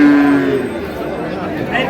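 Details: Improved-breed dairy cows and calves at Ambari market in Dinajpur, Bangladesh, on 17/4/26. A short, steady, tonal low moo lasts under half a second, then fades into a murmur of market chatter and crowd noise.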